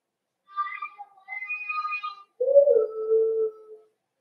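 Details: Cavalier King Charles Spaniel puppies at the Red Barn Cavaliers puppy pen, meeting several of the kennel's bigger dogs during socialization on 12/13/22; a string of high, wavering whimpers gives way to one lower, drawn-out whine.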